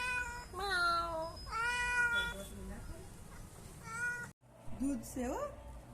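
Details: Domestic cat by spilled milk giving three clear drawn-out meows in the first half, each with a slight downward slide, followed by a woman talking and a brief break before quieter voice sounds.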